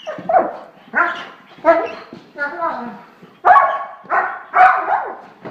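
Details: A pet German Shorthaired Pointer gives a steady run of about eight tonal, howl-like barks, roughly one every two-thirds of a second, with a voice faintly in the background.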